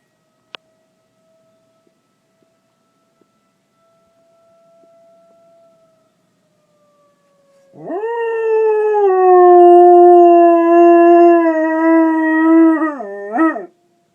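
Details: Mandy the dog answers a fire alarm. A thin, steady alarm tone and a few clicks come first, then a loud six-second howl starts with a rising swoop, holds level, and dips briefly before ending.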